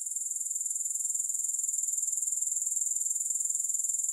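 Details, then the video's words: Grasshoppers heard without music, giving a shrill, very high buzzing trill made of rapid, even pulses that continues unbroken. "Grass Hopper Sounds"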